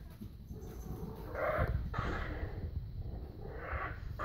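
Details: French bulldog puppy in Calgary, offered as one of a litter, giving soft whining whimpers that rise and fall in three drawn-out bursts over low rumbling background noise.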